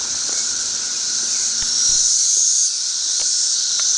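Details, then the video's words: Periodical cicadas of a thirteen-year brood, thousands per acre around a single tree, make a harsh, high, sustained buzz that grows louder midway, with brief faint whistled overtones on top. "Very Loud Cicadas"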